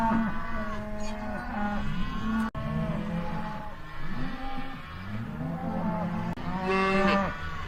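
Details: Cattle mooing, several overlapping low bellowing moos with rich harmonic stacks, some rising then falling, drawn out over a second or two, one louder moo near the end; faint background noise.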